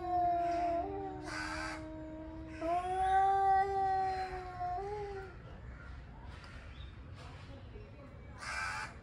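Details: Angry male cats preparing to fight trade long wailing howls, one steady and one rising then dipping, lasting several seconds, while crows caw loudly in bursts in the background.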